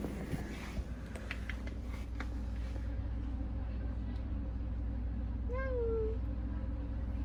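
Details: Stray kitten, one of two that endured a cold spell together, gives a single clear, drawn-out meow near the end that rises briefly then slides slightly down, over a steady low hum with faint clicks earlier.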